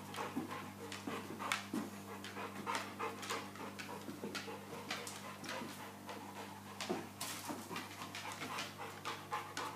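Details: Soko, a first-time mother Boerboel (South African Mastiff) bitch in labour, pacing, contracting and very uncomfortable, pants in quick breathy bursts over a steady low hum indoors.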